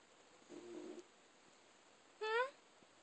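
A Shiba Inu gives a soft, low murmur, then a brief rising whimpery yip while asleep.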